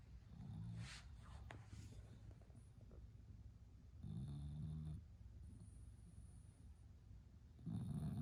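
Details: Sleeping female bulldog giving low, grumbling snores, one long rattling snore in the middle and another starting near the end.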